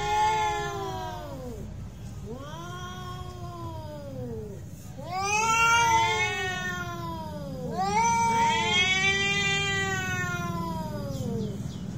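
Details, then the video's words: Cats in a real fight trade loud, wavering yowls, each rising then falling over one to two seconds. Four drawn-out cries in succession, the later ones harsher and louder, over a low background rumble. "real cat fight with sound"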